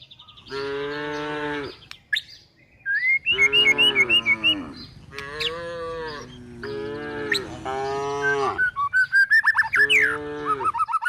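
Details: Cows and calves driven toward a forest in search of food low repeatedly, five drawn-out harmonic moos spread across the recording, while songbirds add sharp chirps and warbled whistles in the gaps.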